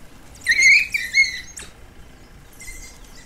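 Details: Three African wild dog pups playing in southern Kruger National Park in the evening near sunset, as heat eased, give high, squeaky twittering calls, a short wavering burst followed by a thinner, fainter squeal.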